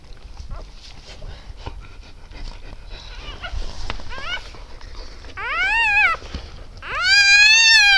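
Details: Newborn Siberian Husky puppies, part of a litter of eight born 12 December 2015 around 20:30: faint rustling and murmurs, then two loud, rising-and-falling squealing cries near the end.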